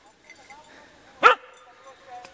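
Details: A two-year-old Kishu Inu out hunting wild boar in the Czech Republic gives one abrupt bark in the middle, while a person talks softly in Czech before and after it.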